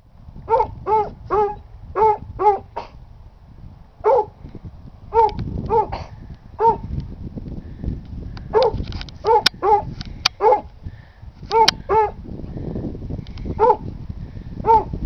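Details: Bennett, a small, very skinny Basset Hound with short ears and nose, awaiting adoption, gives short, high, ringing yelping barks in bursts of two or three, pausing between clusters, over low room rumble.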